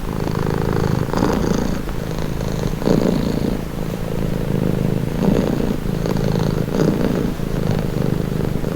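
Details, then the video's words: Steady rumbling purr of a cat, breaths marked by soft swells about every one and a half seconds, the deep buzz never stopping between them. "Purring cat"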